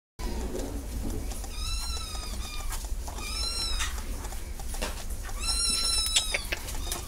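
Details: Cat meowing: three drawn-out, high, clear meows, each slightly arching in pitch, spaced about two seconds apart over steady low background rumble.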